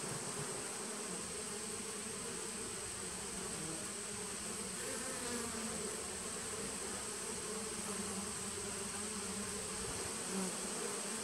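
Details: Steady buzzing of a 2017 honey bee nuc, recorded 19 September 2018, the low drone swelling and easing slightly with brief louder passes of single bees over a continuous high-pitched background whine.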